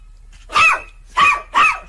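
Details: Three loud, quick barks from a domestic dog, each short and ringing with a rise and fall in pitch, given in about a second and a half in a quiet indoor space.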